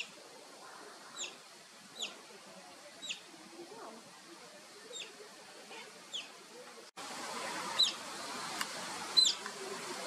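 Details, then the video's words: Asian small-clawed otter pups at play, faint thin high chirping whistles repeated roughly once a second, quieter at first, then a louder, noisier stretch with a few brighter squeaks near the end. "Otter pups / Otter call/ Whistling Otter"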